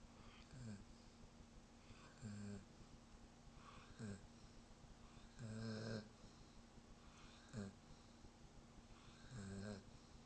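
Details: Sleeping German Shepherd snoring softly: a run of short, breathy, rasping snores of uneven strength, about one every one and a half to two seconds, over a faint steady hum.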